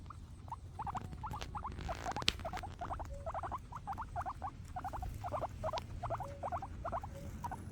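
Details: Happy guinea pigs eating grass: sharp, clear munching clicks come in quick pairs and runs, with one loud knock near the middle over a quiet low hum.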